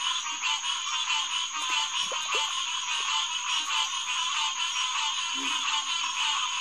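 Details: Green tree frog (Hyla cinerea) chorus at Headquarters Pond, SMNWR, on a June 2, 2021 night around 9:10 pm: dense overlapping nasal calls fill the air, with a steady high insect-like tone above and a few low grunting notes beneath.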